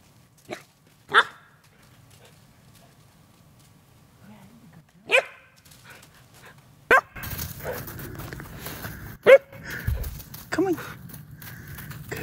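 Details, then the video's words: German Shepherd puppy, a female, scared of a fake deer: a few isolated sharp barks spaced seconds apart, then louder barking amid rustling and handling noise, with a person coaxing her. "German Shepherd Puppy Scared of Fake Deer"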